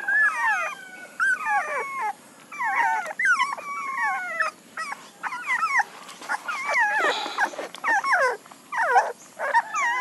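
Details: Loud, insistent puppy whines: looping, up-and-down squealing cries repeated in quick runs with short gaps, some broken into yips, heard close over a low background hum.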